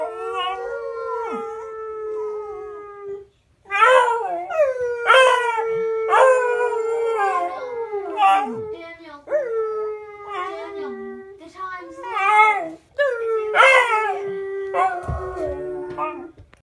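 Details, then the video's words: A female beagle howls for no apparent reason, baying in long, drawn-out howls that each break into yelping, wavering notes. "When beagles howl"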